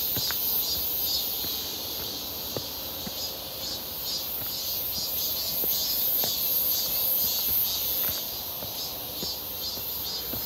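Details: Many cicadas calling on 1 August 2023 near Seonbawi, a clear and hot midsummer day during a walk; a continuous high-pitched metallic hiss pulses gently in volume, over faint crunching footsteps and light knocks.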